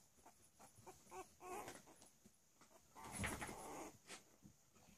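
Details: Playing Cavalier King Charles Spaniel puppies aged three weeks make rapid, irregular little grunts and whimpers, with a louder noisy squeal burst in the middle amid constant shuffling.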